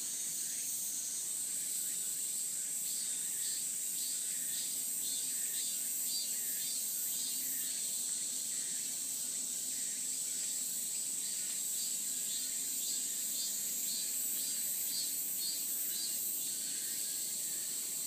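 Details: Cicadas on a mountain path in a cool breeze: a continuous high, shrill buzzing drone with a faint pulsing texture, steady throughout.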